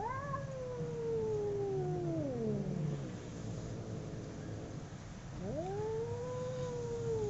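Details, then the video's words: Fighting between two domestic cats: a long falling howl that trails off into a low growl, a silent gap, then a new howl that rises sharply and holds steady. "Two cats howling cats fighting sound"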